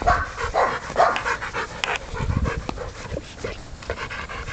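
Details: Puppy Aubrey von der Stark, aged 10 weeks, breathes in short hoarse pants while chasing a ball, with one sharp click and low thuds partway through.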